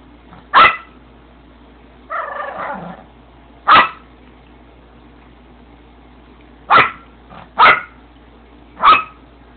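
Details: Yorkshire terrier demanding attention from the camera gives sharp, high yaps at uneven intervals, six in all, with a brief whiny, grumbling vocalisation early on and near-silence between barks.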